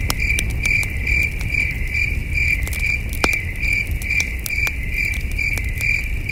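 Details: Crickets at night around a wilderness campsite with a flickering campfire: a high, rhythmic chirping pulsed about twice per second, broken by frequent crackling snaps of burning wood over a low ambient rumble.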